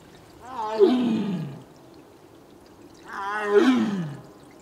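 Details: Two drawn-out, rich, descending moaning calls about three seconds apart from Mugung, a female Korean tiger in heat who is separated from her sibling Beom and calling to him; little other sound between the calls.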